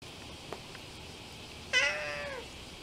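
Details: A cat on the Philosopher's Path in Kyoto, Japan, gives a single clear meow lasting under a second, starting abruptly and sliding down at the end, over a quiet background with a faint tap.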